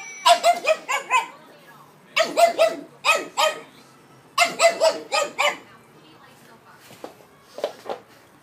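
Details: Indoors, five-month-old Pug puppy Anastácia barks furiously at two talking stuffed toys; loud clustered yaps in fast groups of three to five, ending in fainter scattered yips.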